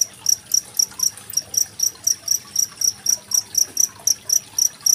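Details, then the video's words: Cricket called masteran jangkrik, recorded Saturday 25 February 2023 for training competition songbirds such as magpie-robins; rapid high chirps pulsing about four per second, steady and shrill, with soft running water faintly beneath. "Suara masteran jangkrik dan gemericik air"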